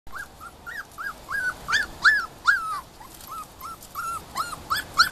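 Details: Puppies almost six weeks old playing in a pen on a backyard patio give a rapid series of high, arched whimpers and yips, roughly two to three per second, some sharper and louder than others.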